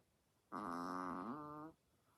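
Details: Sleeping chihuahua snoring very loudly indoors, a single drawn-out harmonic snore lasting just over a second that wavers slightly in pitch and ends abruptly, with quiet room noise before and after.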